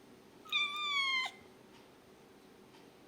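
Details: A cat gives a single drawn-out, level meow lasting under a second, with clear harmonics, then quiet room noise.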